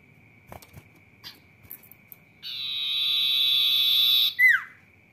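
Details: Sirtu cicada singing busily in 'rock n roll' style, a loud, smooth, sustained metallic buzz lasting about two seconds that cuts off into a quick descending squeal, with a steady thin background tone and scattered soft knocks.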